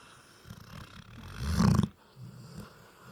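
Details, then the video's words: Sleeping Labrador Retriever puppy giving a single deep, rattling snore that swells to a peak around the middle and cuts off sharply, with soft low breathing before and after. "Ronquidos de mi labrador"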